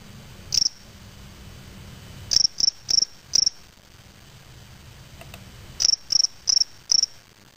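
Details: A captive spring field cricket (Gryllus veletis) in a small cage, collected May 25, 2007 in Waterloo, Ontario, Canada, gives short, high, pure chirps in loose runs of three or four.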